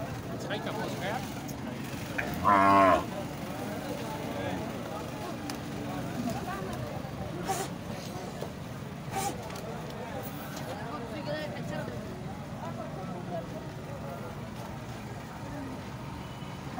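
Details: Sahiwal cattle at the Muhammad pur mandi, a cattle market in Pakistan: one short, loud, harmonic moo near the start stands out over a steady crowd murmur, with deeper low lowing, scattered knocks and vehicle noise throughout.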